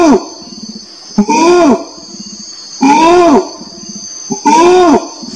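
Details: Orangutan voice: arched, groaning calls that rise then fall in pitch, given in a slow series every 1.5 seconds with soft rumbling between them, while a constant high buzz runs behind.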